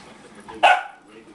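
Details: Female dog playing tug with her puppies, dragging the toy slowly so they can hold on; a single short, sharp bark or yip, under a fifth of a second long, over a quiet background.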